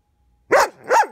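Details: German Shepherd puppy, ten months old, in training, barking when a hand is put near it: two loud, clear barks about half a second apart, each rising then falling in pitch, on a quiet background.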